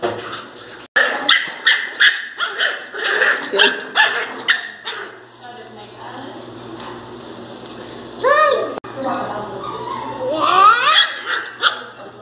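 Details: Angry Pinscher dog crying very loudly: a rapid run of sharp barks, several per second, for about four seconds, then rising whining yelps later on, with people talking throughout.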